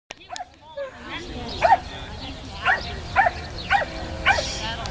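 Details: Swedish Vallhund, a 16-month-old female, meeting sheep for the first time at a herding instinct test in Evendale, Ohio, April 2011; sharp high barks repeated roughly every half second, with people talking nearby.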